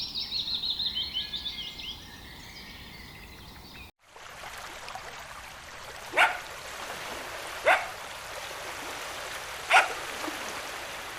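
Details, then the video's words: Energetic puppies playing in a meadow. Birds twitter at the start, then after a brief cut three separate sharp barks ring out over a breezy hiss, each roughly one and a half to two seconds apart. "Dog barking sounds"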